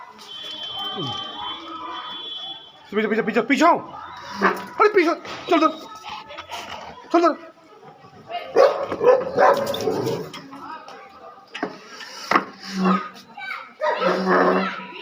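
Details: Rottweiler barking: a series of loud, harsh, broadband barks in uneven bursts, some tonal and whining, mixed with background noise and a faint steady tone at the start.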